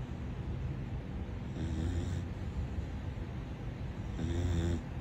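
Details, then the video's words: Corgi puppy asleep and snoring loudly: two rough, rumbling snores about two and a half seconds apart, low and throaty with a buzzy rattling edge, over steady low background hum. "A Corgi puppy snoring too loudly"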